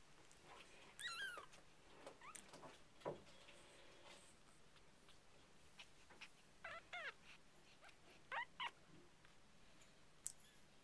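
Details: Young white male Persian kitten, eyes just opened, giving tiny thin high-pitched mews: brief rising-and-falling squeaks scattered across the recording, some in quick pairs, over a quiet steady background hiss.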